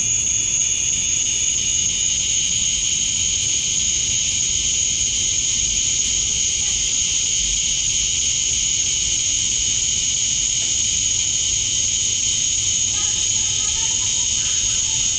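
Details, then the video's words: Male cicadas chirping to attract females at summer dusk in Georgia, USA; a dense, bright, hissing high-pitched drone, fuller and broader than a single tone, with a few faint short chirps near the end and low background rumble. "Cicadas at Dusk, Summer Night"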